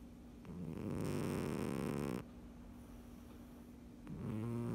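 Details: A sleeping pet cat snoring: a loud, rough, rumbling breath lasting about a second and a half, a quieter pause, then another low snoring breath beginning near the end.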